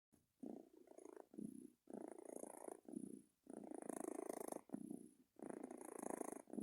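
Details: Pet cat asleep, making soft, rattling purr-like snores in rhythmic bursts with each breath, about five breathing cycles with short silent pauses between them, quiet and close, with faint high hiss above.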